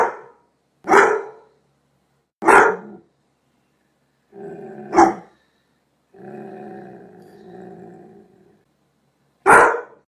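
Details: Doberman Pinscher giving loud, sharp single barks spaced one to two seconds apart, broken by a low rumbling growl and a longer harsh growl before a final bark.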